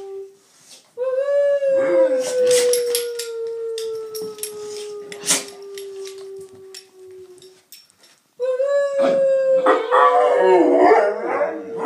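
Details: Two Bullmastiffs howling along to noises, a long sustained tone sliding gently downward for several seconds, a silent gap, then a second wavering howl layered with another dog's voice.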